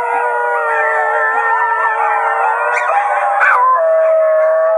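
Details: Chorus of basenjis from Wimauma following a small adopted male's lead; dense overlapping howls hold steady, a brief sharp yelp breaks in, then a single clean held note remains.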